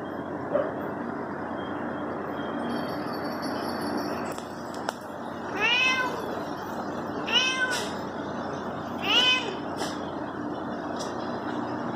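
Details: Pet cat meowing three times, roughly every two seconds, each meow an arched rise-and-fall wail, over a steady background hum and faint outdoor noise.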